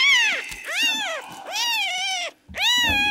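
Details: Sick, dehydrated male red tabby and white kitten, rescued at one day old and refusing milk, meowing in loud, high, harmonic-rich cries that arch up then fall, four calls in quick succession with short breaks between them.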